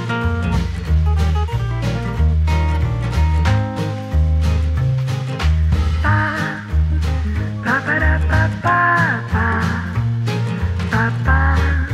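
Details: Upbeat swing-style instrumental music with a bouncing bass line, guitar and brighter melodic phrases in the second half; no animal sounds present.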